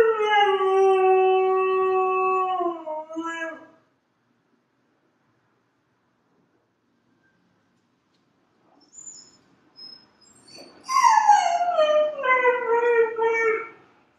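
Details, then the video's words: Dog howling: one long wail holds a steady pitch for about four seconds and ends with a slight drop. After a silent pause and a few faint sounds, a second howl starts high and slides steadily downward. "Dogs Howling Compilation"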